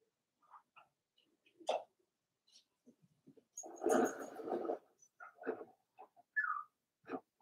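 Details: Cavalier King Charles Spaniel puppies, four weeks old, in Daisy's indoor puppy pen: quiet scattered squeaks and soft whimpers, one fuller whining burst in the middle, and a thin rising-falling squeal near the end.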